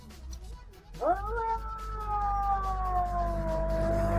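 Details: Domestic cats in a vocal fight: after a low rumble, a sudden upward swoop opens a long, sustained yowl that slowly sinks in pitch, over steady low background hum.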